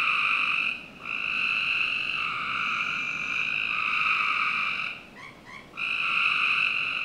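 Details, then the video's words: Frogs in a Northern Virginia home's backyard on a summer night give long buzzy trills. One short gap comes early, then a stuttering, broken stretch before a steady trill returns. "Frog Night 1"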